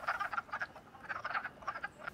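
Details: Wood frogs mating along a creek in early spring chorus with short, hoarse, duck-like quacking clucks that overlap in quick bursts.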